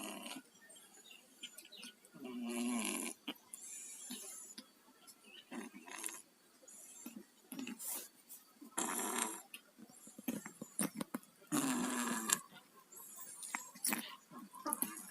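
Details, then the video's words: Two pet cats, Tayen and Lilu, sick with colds, snoring in their sleep: raspy, breathy, congested snores in irregular bursts about every one to two seconds, each a rough, noisy rush of air with quieter gaps between. "KUCING PILEK, TIDURNYA NGOROK"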